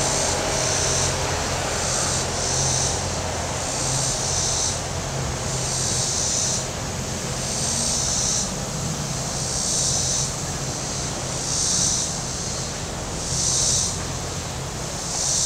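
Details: Cicadas on the shore of Table Rock Lake in southern Missouri on a very warm Saturday, giving high, hissing buzzes about a second long that pulse roughly every two seconds over a low, steady drone of boat engines on the lake.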